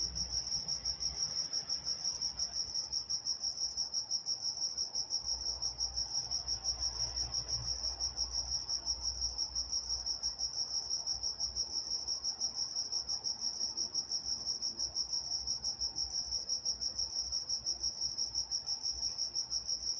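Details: Chorus of crickets at night in Walnut, California, an unbroken high, even chirring of quick rhythmic pulses holding steady throughout, with only a quiet low rumble underneath.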